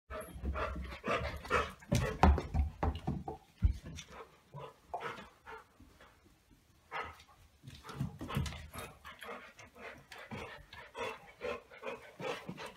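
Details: Two golden retrievers, a 9-week-old puppy and an older dog, playing keepaway with a chew toy; busy bursts of panting, snuffling and low growly play noises, with scuffling and thumps throughout.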